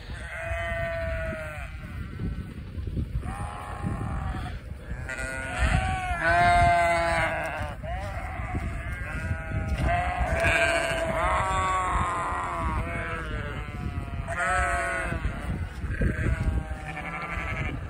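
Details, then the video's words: Several sheep met in Vermont during deliveries, following a walking person and calling as if wanting to join; repeated wavering, harmonic-rich bleats overlap one another throughout, with footsteps and outdoor rumble beneath. "Walking with the sheep 🐑 talking wanting to join me"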